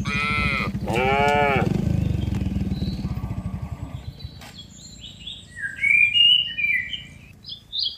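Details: Tame cattle walked from a green field toward their pen give two quick moos at the start; later, small birds chirp and twitter over a fading low rumble.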